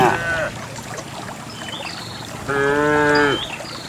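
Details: Cows being herded along a path toward the farm pen: a brief moo at the start and a clearer sustained moo near the end, over a noisy background with faint bird chirps.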